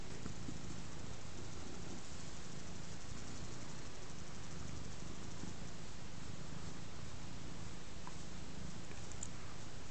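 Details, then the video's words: Ostikka, a large black domestic cat lying contentedly on a rug while being scratched, purring steadily with a low continuous rumble; soft faint rustling and a few light clicks. "Ostikka kehrää ja vastaanottaa rapsutuksia"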